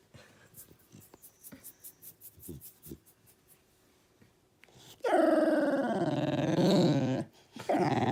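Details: A puppy making funny noises indoors: several seconds of quiet snuffling and small clicks, then a loud drawn-out whining howl that wavers up and down for about two seconds, a brief pause, and another whine.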